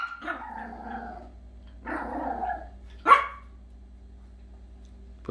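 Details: Dogs barking: a rough, growly bark opens, then a longer harsh burst around the two-second mark, and a single sharp, loud bark after three seconds. A steady low hum runs underneath.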